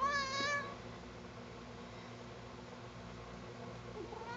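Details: Sugar, a cat who dislikes being combed, protests while being groomed indoors: one short, drawn meow that bends up then down right at the start, followed by quiet room hum.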